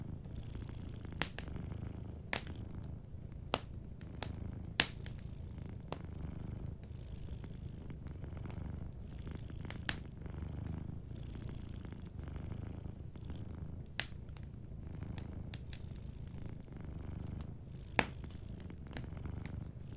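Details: Gentle purring of a cat asleep by a crackling fireplace; the low, even rumble runs unbroken while frequent short pops and snaps of burning wood punctuate it every second or two.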